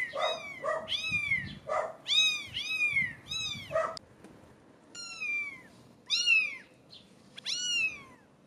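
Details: Several 17-day-old British Shorthair kittens calling: a rapid run of clear, bright mews in the first four seconds, then a few separate, longer downward-sliding meows spaced about a second apart.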